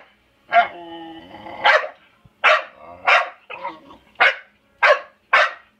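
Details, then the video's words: Young pit bull, eight months old, playing with a pet African grey parrot that tries to kiss her, answers with a drawn-out tonal sound, then a quick run of seven or eight harsh barks spaced roughly half a second apart. "I think the bird was kissing Bella til she kept barkin"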